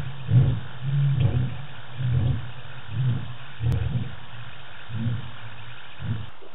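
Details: Lion at night in the African bush on the Djuma cam, 25 March 2018, ending a roar with a series of deep, short grunts repeated roughly once a second and slowly fading.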